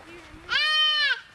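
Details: White-tailed deer fawn crying and calling for its mother as it is released: one loud, nasal, harmonic bleat lasting about half a second, held level then dropping slightly at the end, with a woman's voice before and after.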